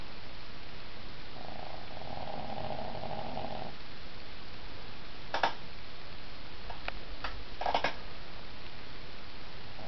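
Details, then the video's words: Cooper, a dog napping on a bed and snoring very loud, gives one long droning snore of about two seconds, a steady buzzy hum, followed by quiet breathing and a few sharp clicks. "Cooper snoring"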